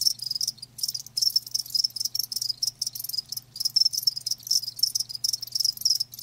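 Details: Dense, loud high chirping from live crickets, bursts packed closely with brief gaps, over a faint continuous low hum.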